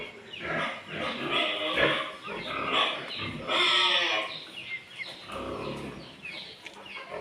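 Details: Pure Landrace and Duroc breeding pigs on a farm kept for farmers, giving a dense chorus of harsh, broadband squeals and grunts that rise and fall in overlapping bursts, loudest around the middle.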